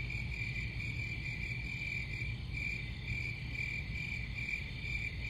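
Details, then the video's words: Unbroken cricket chorus: shrill, evenly pulsed trilling holds steady throughout, layered above a persistent low-frequency hum. "Crickets Sound"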